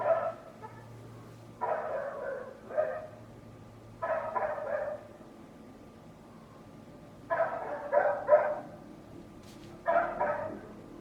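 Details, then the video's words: Loud dog belonging to a neighbour barking repeatedly: clusters of two or three sharp barks come every two to three seconds, five bursts in all, with quiet gaps and a faint low hum between them. "Neighbor's annoying dog noise"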